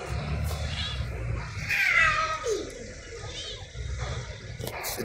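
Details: A malnourished stray cat in Saudi Arabia, fed with others, gives one loud meow that sweeps downward and fades, with faint hum and brief human voice around it.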